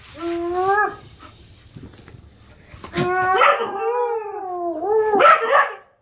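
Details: Dog recorded in June 2015 giving two drawn-out, wavering howls, the first short and steady, the second longer with rising and falling pitch, separated by a quiet pause.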